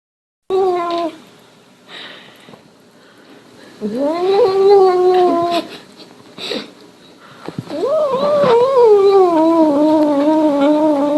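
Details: Domestic cat making strange sounds indoors: three drawn-out meows, the middle one rising then holding steady for about two seconds, the last starting high and sliding down, with soft clicks and thumps between them.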